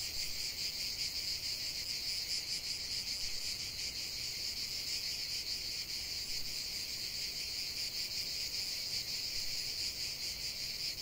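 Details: Cicadas singing together outdoors, a steady shrill buzz with fine rapid pulsing, unbroken throughout, no other clear sounds.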